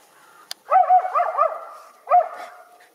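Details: In a snowy backyard where deer roam, a young Schipperke, one of a pair, lets out a fast run of shrill, yappy barks, pauses briefly, then gives one more bark; a single click comes before.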